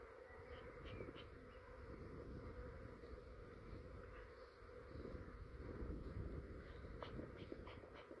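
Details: Quiet Australian honey bee swarm being captured from a garden branch into a hive box; continuous low droning hum with a scattering of soft clicks and low rumble underneath.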